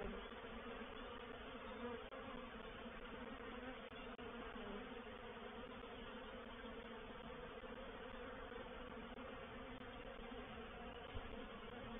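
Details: Honey bee reproductive swarm moving into a bait hive at Painted Peacock Manor on 04/07/21. It makes a thick, unbroken buzzing drone with rich low tones, even in loudness from start to finish.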